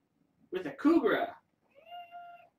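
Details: Kitten from a litter of six born August 29th to a family pet: a person speaks briefly, then one drawn-out, steady tonal meow follows, rich in harmonics and lasting under a second, in a quiet indoor room.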